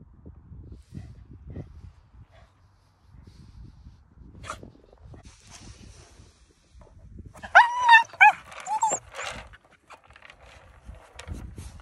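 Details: Basil, a two-year-old male Cairn Terrier, excited while playing with a rattly horse toy, lets out a quick cluster of high, sharp yelps and whiny barks. Soft thumps and rustling from the toy play surround the calls.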